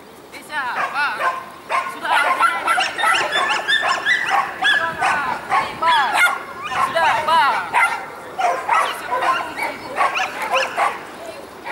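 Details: Dogs at the Saint Petersburg championship on 12 April 2015 give rapid, overlapping high yips and barks in quick bursts. Steady human talk fills the crowded hall behind them.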